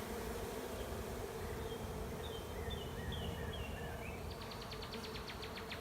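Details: Honey bee swarm settling into an empty hive in a driveway, a continuous low buzzing drone underneath faint high bird chirps and a short rapid clicking rattle toward the end.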